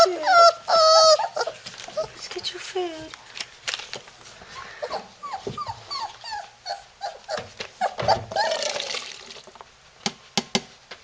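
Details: Three-week-old Labrador puppies in Florida whine while trying to break out of their little house; loud arching squeals open the clip, then softer scattered whimpers mix with a person talking and handling noise.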